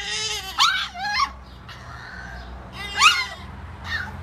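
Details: A 10-week-old French Bulldog puppy gives high, whiny yelps that rise sharply, trading howls and whines with a 4-month-old baby's voice.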